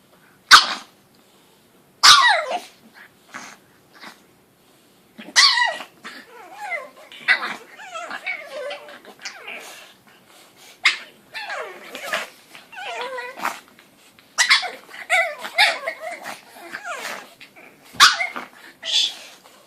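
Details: Two pug puppies, one four months and one two months old, playing together indoors and making sounds likened to a cat's: short sharp yelps and squeals with growly, wavering cries in irregular bursts separated by brief pauses.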